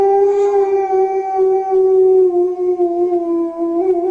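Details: Dog singing to a crying baby to calm it, holding one long, steady, tonal howl that drifts slightly lower and wavers gently toward the end, with clear harmonics and no other sounds.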